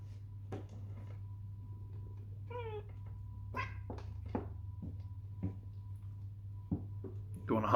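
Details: Muscat, a pet cat indoors in a small room, makes hunting noises at birds: a short wavering chirp and several sharp clicky chatters spread over a few seconds, with a person speaking to the cat and a steady low hum throughout.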